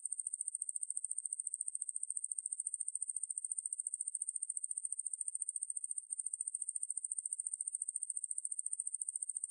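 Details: Ruspolia lineosa katydid giving a steady, thin, high-pitched buzz made of rapid, evenly spaced pulses. The buzz runs without pause over a silent background.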